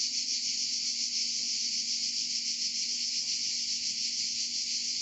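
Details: Steady, loud buzzing of cicadas in Provence, a rapid pulsing drone that never breaks, with a faint low hum beneath.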